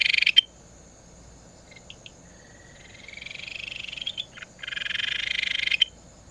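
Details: A Ryukyu Kajika frog, a species found from the Tokara Islands to Okinawa, gives a sharp high note, a few faint clicks, then a long rising pulsed trill, and ends with a louder buzzy burst and a click.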